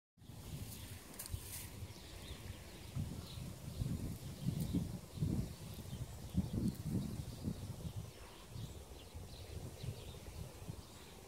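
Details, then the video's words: Frogs gathered to mate give low, grunting croaks in pulsed bursts that cluster and swell through the middle of the recording, over a soft rustling outdoor background. "Mating frogs"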